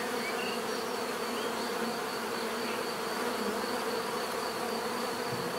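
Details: Many bees droning together in a constant, dense buzz, a smooth steady hum with a faint high whine above and occasional soft chirps mixed in.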